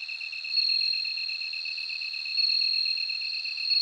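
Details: Bell cricket singing: a high, ringing trill that swells in louder phrases about every two seconds. Beneath it runs a steady, rapidly pulsed lower chirping from another insect, with no other sounds.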